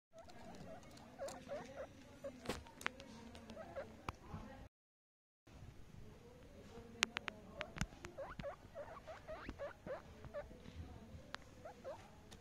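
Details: Baby guinea pig making soft chirping squeaks around a steady low hum, with tapping and rustling clicks and a short silent gap midway.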